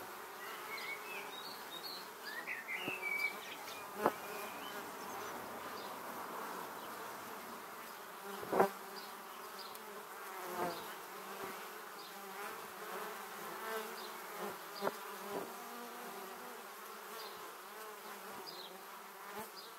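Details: Many honey bees flying toward their beehive, filmed close up in 2017 with a 360-degree camera: a constant layered hum of wingbeats, with occasional brief louder fly-bys and a few faint high chirps, likely birds, in the background.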